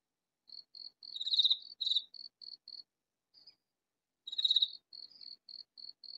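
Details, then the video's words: Katydid hidden in a vegetable garden calls with a series of soft, high clicking ticks broken by loud scratchy rasps. Two rasps come close together, a pause follows, another rasp, then more evenly spaced ticks. "Katydid calling in vegetable garden"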